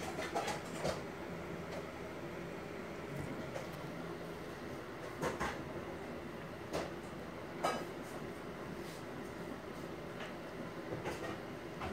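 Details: Steady rumbling background noise with scattered soft knocks and rustles, and no animal voice.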